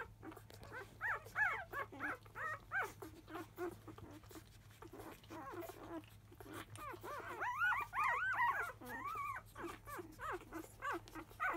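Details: Five-day-old field-line Labrador Retriever puppies, born to the 2017 JFA grand champion Biscuit, fuss loudly as a nursing session begins after 1 pm: rapid overlapping squeaky whimpers and rising-falling yelps, several pups at once, indoors with a steady low hum.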